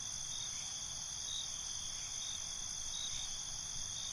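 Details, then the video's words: A dense nocturnal cricket chorus forms an unbroken, high, shimmering whine layered in several bands, with low rumbling noise beneath. "Cricket Conversations"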